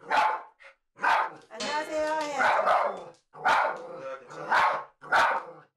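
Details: A dominant pet Poodle at home gives sharp, hoarse barks about once a second, challenging a film crew of unwelcome visitors entering the house; it does not charge them and later calms with treats.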